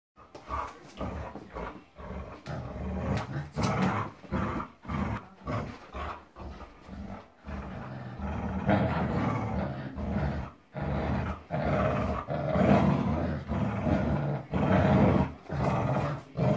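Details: Two Labrador Retrievers, a 10-year-old and a 17-week-old puppy, playing tug of war; low rumbling growls in repeated bursts of about a second, broken by short pauses and scuffling.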